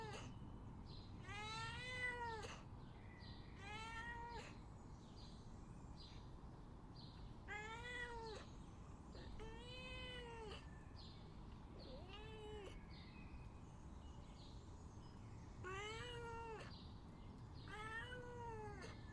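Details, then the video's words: Begging house cat produces a series of about eight plaintive meows, some long and bowed, others shorter, spaced unevenly with brief pauses, over a constant low hum. "Cat Meows And Begging Sound Effect"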